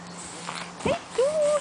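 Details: Pug puppies at the breeder's, recorded 3 June 2011: a short, thin whine that rises and then holds a wavering tone for about half a second, after a brief soft squeak. The room is otherwise quiet.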